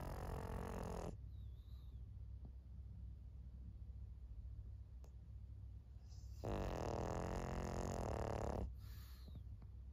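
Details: Two drawn-out, throaty snores from Maria, an elderly 14-year-old fawn pug female in Japan, 26 May 2024. The first fades out early, and the second rasps on for about two seconds after a long quiet breathing pause.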